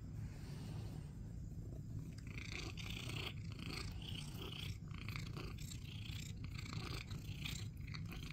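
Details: Critter, a male pet cat, purrs while getting back pats, his favorite way to be petted, as he seeks attention; a steady low rumbling purr runs throughout with soft rustling and brief higher scratchy noises.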